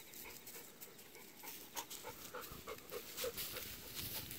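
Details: Golden retrievers Kohaku and Ibuki on an October 8 walk, rolling in a harvested rice field where stubble is sprouting green again. Quick, breathy panting pulses repeat about three times a second over soft rustling.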